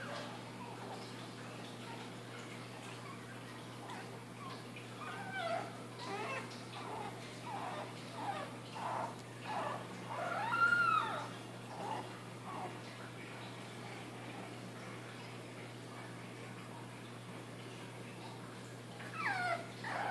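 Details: A female Boston Terrier puppy from a June 4th, 2013 litter, finding her voice, gives short, wavering howls and yips that rise and fall in pitch.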